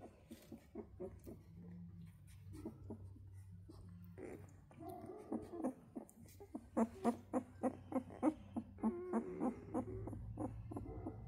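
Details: Central Asian Shepherd puppies giving a series of short yelping whimpers, repeated rapidly and growing louder toward the end, with a low steady hum underneath.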